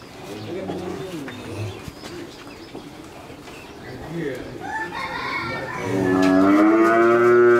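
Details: In Pabna, Bangladesh, a three-month-pregnant Friesian heifer starts a loud, sustained moo late on, steady and gently rising. Earlier, faint cooing and soft background noises are heard.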